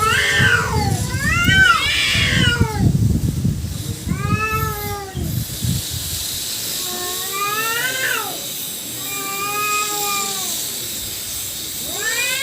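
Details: Cats fighting, two females and a black male: a rough, noisy scuffle opens, then drawn-out wavering yowls rise and fall in long harmonic wails, trading back and forth several times.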